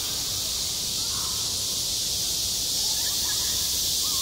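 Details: High-summer cicadas calling over a school playground, a continuous shrill hissing wall of sound, with a few soft bird notes toward the end.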